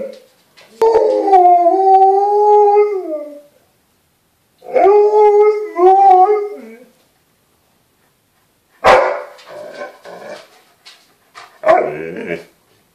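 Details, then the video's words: An Alaskan Malamute in Norway gives long wavering howls, each sliding up and down over a few seconds. "Norwegian Alaskan Malamute howling"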